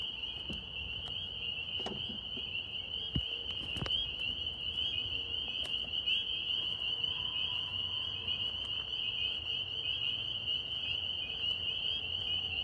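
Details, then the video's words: Chorus of northern spring peepers in New York, many frogs peeping at once into an unbroken shrill high-pitched ringing, with a few soft taps early on and a faint low steady hum beneath. "Tree frog sounds NY"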